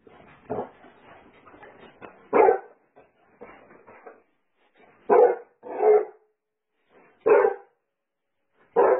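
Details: Basset Hound giving loud, deep single barks spaced one to two seconds apart, with softer muffled grumbling vocal sounds filling the gaps between them.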